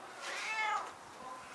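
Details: Stray cat, ten years old, answering a grandmother in conversation with a single rising-then-falling meow of about half a second, followed by a faint softer trailing note.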